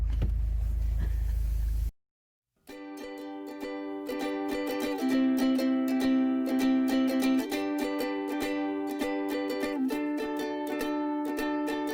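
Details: A short burst of low noise, a brief silence, then plucked ukulele-like music with steady repeated notes, and no barking or other animal sound.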